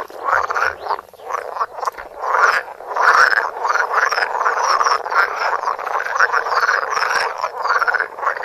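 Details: Close-up of frogs croaking in a dense chorus, with rapid, overlapping rasping pulses.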